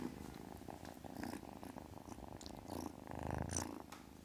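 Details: Close, soft purring from a kitten, a fast fluttering low drone rising and falling in two or three breath cycles over a few seconds, nothing else audible.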